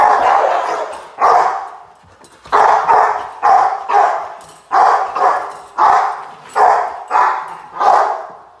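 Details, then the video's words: Rottweiler named Gypsy v LordsNLadies barking during protection training post work, filmed July 8, 2021: loud, harsh barks delivered singly and in pairs, roughly one burst per second with short gaps between. "Rottweiler - protection training"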